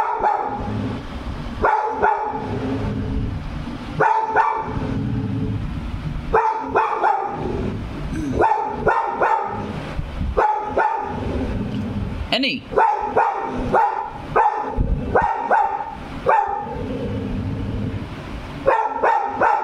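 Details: Labrador Retriever barking as if it has seen a ghost; loud repeated barks in bursts of two to four, about every one to two seconds over twenty seconds, with a steady low background rumble.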